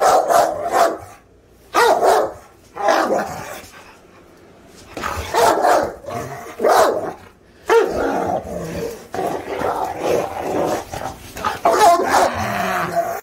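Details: Presa Canario giving a run of hoarse, forceful barks in clustered bursts, a quiet stretch of about two seconds, then more barking, some with a growling edge.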